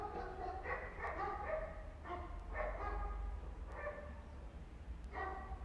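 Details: Homeless mother cat and her kittens on an Istanbul street while she forcefully cleans them; short harmonic meows repeat several times a second in irregular bursts over a steady low traffic-like rumble.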